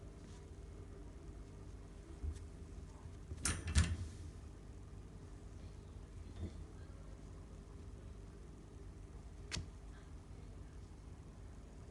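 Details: Quiet indoor room hum broken by a couple of sharp door-like clicks and a brief rattle, with no animal voice.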